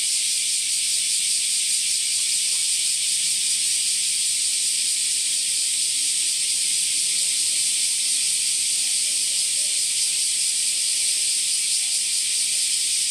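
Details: A Kaempfer cicada, recorded in Japan on the morning of 14 July 2022 around 09:24–09:39, gives a steady, shrill, hissing drone that runs unbroken and high-pitched.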